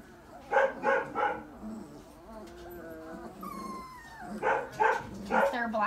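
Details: Three-week-old puppies playing and fighting in a puppy pen: bursts of high yelping yips in quick threes, with thin rising whines in between and soft background murmur.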